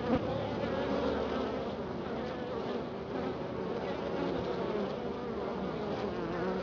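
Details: Honey bees at their hive in Florida, checked after a week of unusually cold weather; a steady, dense buzzing hum of many bees fills the whole recording without a break.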